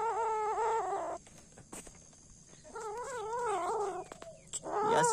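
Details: Kittens eating a rat they are fighting over. One gives long, wavering, whining yowls, two drawn-out bouts separated by a quiet pause, then a rising cry at the end. A steady background hum is heard throughout.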